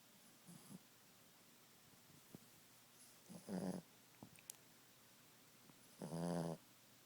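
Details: Napping Boston Terrier Ziggie snores twice, each a half-second guttural, rattling rasp, several seconds apart, with soft breathing and small snuffling sounds between them in a quiet room.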